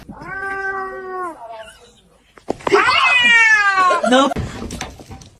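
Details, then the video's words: A cat, described as a kitten crying, gives two drawn-out meows. The first is steady and lasts just over a second. After a short pause comes a louder, wavering, yowling cry of about two seconds, ending with a brief human voice. "kitten meowing crying"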